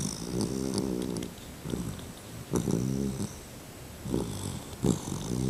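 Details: Two-month-old male Labrador Retriever puppy snoring in his sleep indoors: low rumbling, harmonic-rich breaths in irregular bursts roughly every second or so, with soft snorts between them.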